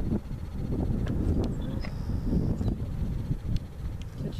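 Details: American bison stampeding in Yellowstone National Park: a dense, low, continuous drumming rumble of many hooves, with scattered sharp clicks and knocks and a faint thin high tone over the top.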